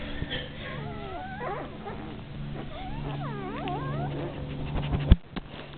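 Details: Nine-day-old Rhodesian Ridgeback puppies nursing on milk, giving thin, quavering whines that bend up and down in pitch, several overlapping, over a constant low hum, ending with a loud knock.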